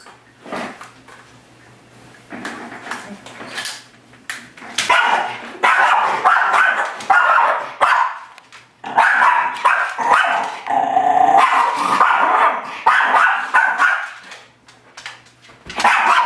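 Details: Miniature Schnauzer named Cadie attacking its own reflection in a mirror: after a quiet start with scattered clicks, a long stretch of dense, harsh, high-pitched barking and yapping runs with brief pauses, ending in a final burst.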